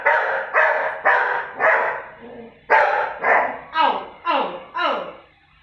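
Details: Lucky the Labrador, annoyed at being mocked, delivers rapid barks at about two per second, the later ones turning into falling, whiny yelps, with a brief human voice between.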